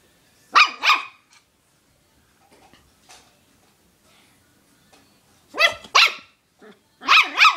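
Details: ,Puppy barking at his chew toy, loud and persistent: two sharp barks near the start, then a pair again after a pause, and another pair at the end, with a person's voice asking who is over there.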